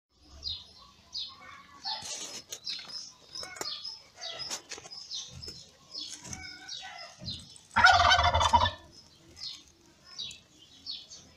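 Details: Newborn kittens born in May to the ginger mother cat Lady Ginger, crying while they sleep and are fed by her: short high squeaky mews that repeat quickly and overlap, with a loud rustling burst near the end.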